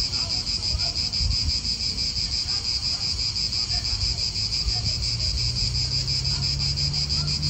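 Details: Chorus of cicadas in a park in Italy, an unbroken high-pitched buzz pulsing about three times a second, with wind and a low hum from nearby cars underneath.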